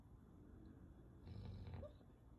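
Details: Natsu, a four-year-old male Golden Retriever described as very timid, napping with his head on a door threshold as a pillow; one low, rough snore rumbles for about half a second over quiet room hiss.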